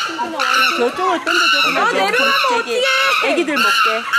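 An excited chimpanzee gives loud, high, strained screams in long, wavering bursts while people talk nearby.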